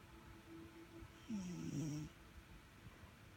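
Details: Sugar, a domestic cat, gives one short snore: a low buzzy tone that wavers and dips in pitch, lasting under a second amid faint room noise.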